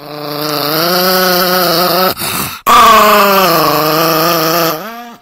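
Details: Nikki, an aggressive pet Chihuahua, gives a long, sustained, droning growl that wavers slightly in pitch, pauses briefly with a sharp click, then resumes for several seconds before trailing off indoors.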